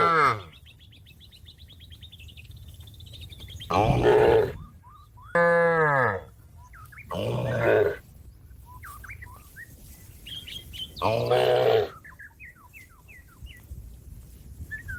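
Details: Cow in a field calling out to a companion that is grazing nearby: four loud, hoarse, harmonic moos of about a second each, one arching up then down, spaced a few seconds apart, with small birds chirping softly in the background.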